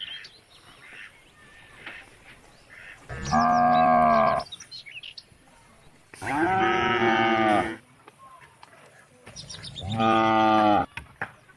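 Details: Cows roaming country roads and calling the herd home to the barn: three evenly spaced drawn-out moos, roughly every three seconds, rich in harmonics over a quiet background.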